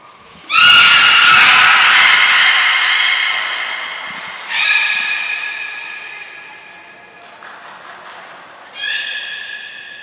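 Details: Training of belugas Gray and Mirai, Port of Nagoya Public Aquarium, 15 June 2022: three loud, nasal, harmonic calls, the first long and sustained, the next two shorter and spaced roughly four seconds apart, with a brief high tone between.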